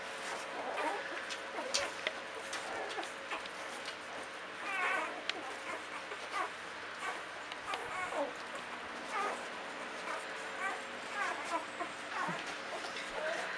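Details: Ten-day-old Belgian Malinois Shepherd puppies from a single litter at a breeding kennel, giving thin, high squeaks and short whimpers in scattered bursts, some with rising-falling chirps, over a low background and a person talking quietly.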